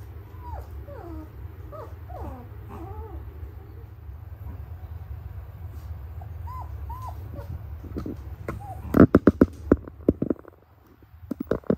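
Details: Noble Shepherd puppies, a grey wolf and German Shepherd hybrid dog, raised with help from another species: thin rising-then-falling whines in quick bursts over a steady low hum, followed by loud clattering knocks.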